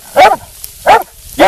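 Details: Almost two-year-old female black and tan coonhound in training toward a show championship. Three short, loud, harmonic barks spaced about 0.6 seconds apart, with quiet gaps between them.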